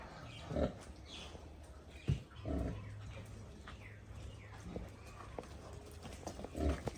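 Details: Pigs kept on a farm and raised by natural methods; a few short, low, rough grunts at about half a second, two and a half seconds and near the end, over a steady low hum with faint background noise.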